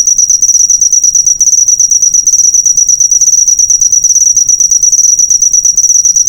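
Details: Cricket sound used as a master recording for training cage birds: a loud, continuous high-pitched trill of rapid pulses, steady throughout, with no other clear sounds.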